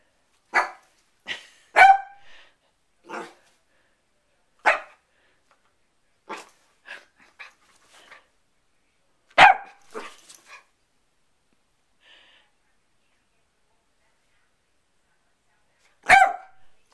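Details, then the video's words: Sherlock, a pet dog on the bed, barks sassily at his owner while wanting to get down: about a dozen short, sharp barks in irregular bursts, some doubled, pausing before a final loud bark. "Sherlock barking at me on the bed"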